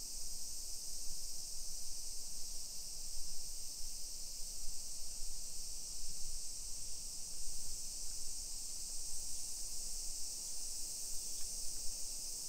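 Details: Summer cicadas singing at 1 PM on 28 July 2021 in a modern hillside residential neighbourhood of Nisshin city, near Nagoya, Aichi Prefecture, Japan; an unbroken, high, hissing drone holds steady throughout over a soft low rumble from the street.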